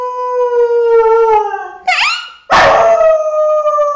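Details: A 6-year-old female Thai Bangkaew dog howls in long, sustained tones, breaking briefly into a higher, wavering yelp.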